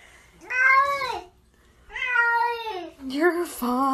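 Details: Pet cat indoors meowing twice, each call a loud arching wail that rises then falls, followed by a lower, shorter, flatter meow at the end.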